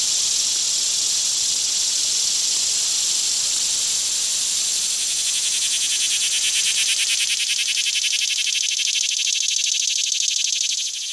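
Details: Chilean cicada, a 19 mm insect from Chile, giving a continuous high-pitched buzzing drone that runs unbroken through the whole stretch, turning faintly pulsed and slightly stronger toward the end before cutting off.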